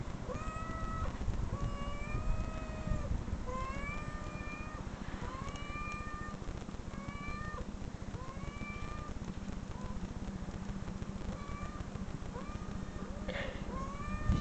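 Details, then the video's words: Recorded domestic cat meows played back from videos, a long run of rising-falling, harmonic-rich mews repeated every second or so over a steady low rumble of background noise. "cat meow"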